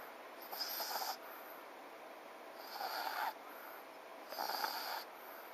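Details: Snoring of a sleeping French Bulldog called FICA, with three drawn-out raspy breaths each lasting nearly a second, separated by short pauses of soft hiss.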